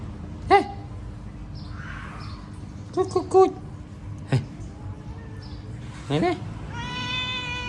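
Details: Domestic cat meowing in a home setting: several short, clear meows with a falling pitch, spaced a few seconds apart. A person speaks Vietnamese between them, with a steady background hum.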